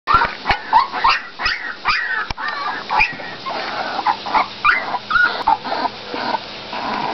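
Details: Olde English Bulldogge puppies, males and females kept as in-home pets in lower Western Michigan, making a busy run of short yelps, squeaks and whines, overlapping and irregular, several small voices at once.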